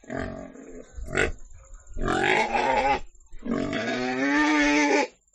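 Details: Pig making short rough grunts, then two longer squeals, the last held fairly steady for about a second and a half before stopping.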